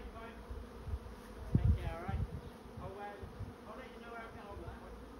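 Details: Honey bee swarm moving into a swarm trap: a steady, droning hum of many wings, with rising-and-falling whines as single bees pass close, over low thumping rumbles.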